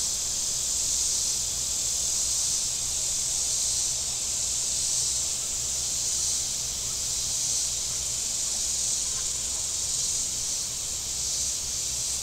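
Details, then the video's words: Warm-day cicada chorus from the shore of Table Rock Lake, Missouri: a continuous high-pitched hiss with only gentle, uneven swells in loudness and a faint low background rumble. "Boating Lake Sounds and Cicadas"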